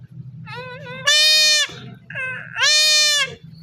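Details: Male goat being castrated gives repeated distressed bleats: a wavering, quavering call, then two long, loud, harsh bleats about a second each, separated by a shorter wavering cry, over low rumbling background.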